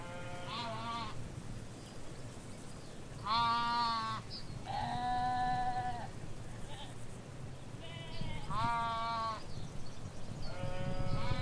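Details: Ewes and lambs in a field in the Hampshire countryside bleating, recorded beside a hedge; five harmonic, wavering bleats of varied pitch come in separate bursts about two seconds apart, some higher and thinner, over a steady low rumble.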